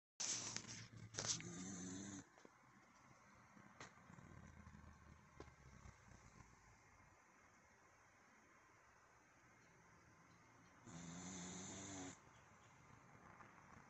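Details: Dog sleeping hard and snoring, named Sabine: a soft raspy snore at the start and another around eleven seconds, with faint indoor background noise between.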